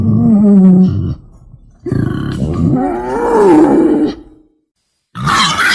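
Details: Lure call of wild boar for hunters waiting in a hide: a steady low squeal, then pulsing grunts that rise into a wavering higher squeal, and finally a brief harsh burst.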